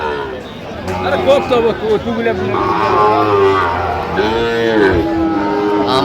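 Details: Sahiwal bull calves at a cattle market in Comilla, Bangladesh, on 2 January 2026: a drawn-out, steady-toned moo swells amid loud bargaining voices and the chatter of the market crowd.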